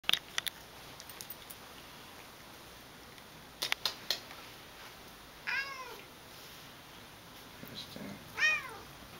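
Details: Tortoiseshell domestic cat giving attitude first thing in the morning makes two short meows about three seconds apart, each quickly rising and falling, amid clicks, tapping and handling noises indoors.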